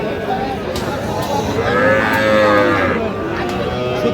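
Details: Sahiwal bull calf at a cattle market on 23 August 2025. A single long, droning moo swells midway and fades over about a second and a half, partly masked by continuous market chatter and nearby voices.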